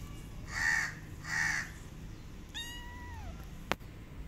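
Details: Abandoned kitten, now with a new family and said to be happy with them, gives two loud harsh cries in quick succession, then a softer drawn-out meow that slides downward, ending with a sharp click.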